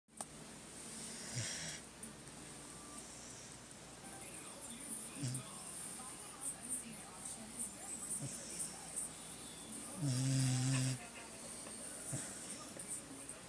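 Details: Bogart, a sleeping beagle, snoring: a few low, soft rumbling snores scattered through the stretch, the loudest and longest near the end, with quiet room hiss between breaths.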